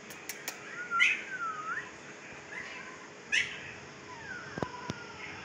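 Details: Two-week-old Siberian Husky puppy, fifteen days of age, in Pakistan: soft drawn-out whines that droop and wobble, two main cries a couple of seconds apart, with small taps and clicks around them.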